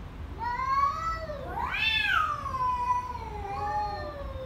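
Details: Two angry cats: a loud, drawn-out yowl that climbs sharply to a shrill peak, then slides down into a long wavering moan, with a second lower wail running beneath it.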